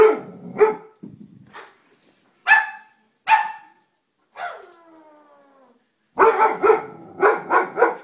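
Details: Doberman dog barking in short sharp bursts, then a long drawn-out descending whine, ending with a quick run of loud repeated barks; house setting, no other sounds clear.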